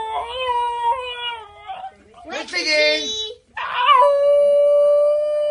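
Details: Basenjis, which cannot bark, converse with their family; a Basenji gives a run of warbling, yodel-like calls that rise, break and hold steady.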